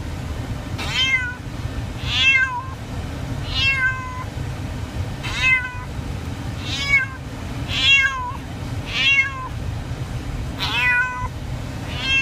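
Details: A Siamese cat gives loud, insistent meows during a car ride, over a steady low engine rumble.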